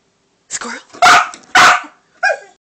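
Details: Two loud, harsh barks in quick succession from Cassidy the dog, aimed at a squirrel, with a person's voice before and after saying "squirrel".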